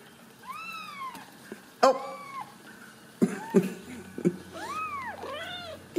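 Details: Ragdoll kittens bred indoors at a central Kansas cattery, uncaged and socialized. Repeated arched meows, bright and rising then falling, come in quick pairs, mixed with sharp clatters and bumps from the kittens moving about.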